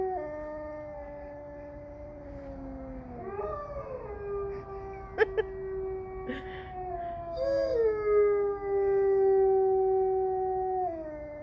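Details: Several gray wolves at Bay Beach Wildlife Sanctuary on 21 January 2023, in winter, howl together in long, smooth, overlapping tones that slide slowly downward and rise again.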